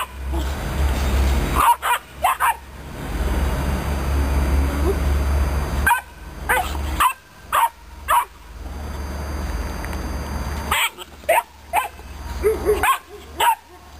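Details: Romanian Mioritic Shepherd Dog puppy, described as aggressive, gives short loud barks in quick runs of two to four. Long quieter gaps separate the runs over a low constant rumble.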